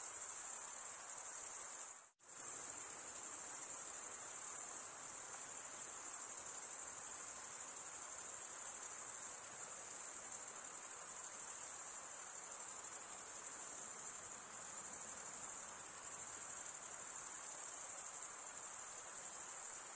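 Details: Crickets chirp in a long unbroken high trill created by males rubbing toothed wing veins, interrupted by a single sudden silent gap near the start before the steady pulsing resumes.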